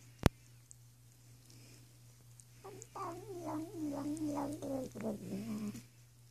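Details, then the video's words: Female domestic cat bathing herself indoors, producing a run of quick wavering, yodel-like trills that slide downward over about three seconds, after a sharp click; steady low hum throughout. "Cat making weird sounds while bathing"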